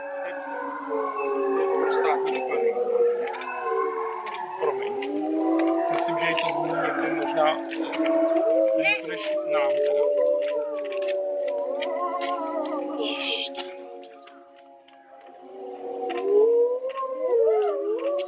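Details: Grey wolves howl in a group at Tama Zoo around 3 pm. Many overlapping, wavering and gliding howls fill the chorus. It quietens briefly near the end, then a rising howl swells up again, with scattered background noise throughout.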